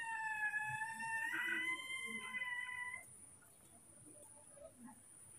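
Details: Baby monkeys Moni and Mino, scared and angry at an unfamiliar cameraman, give a loud, drawn-out harmonic squeal lasting about three seconds with a slight wavering pitch; soft background noise follows after it fades.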